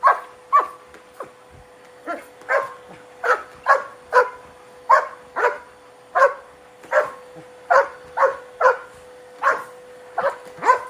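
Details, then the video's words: Angry German Shepherd dueling with a vacuum cleaner it hates. Harsh barks come in rapid runs, roughly two per second with short pauses, above a constant droning hum from the machine. "My Angry German Shepherd Duels with the Vacuum Cleaner"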